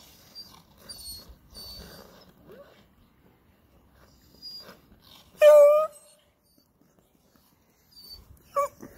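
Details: Beagle known as Ice Beagle, chained up outdoors while its owner ice skates, gives one loud, short, harmonic yowl after near silence, then a second briefer cry near the end; faint scraping and distant sounds beforehand.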